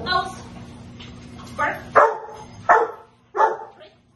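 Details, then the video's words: Basement protection training session with the Rottweiler Anaconda v Schwarzerwald, March 24, 2021: a brief spoken word, then four deep, forceful barks spaced roughly half a second to a second apart, ringing off the hard indoor walls. "Rottweiler protection in the basement"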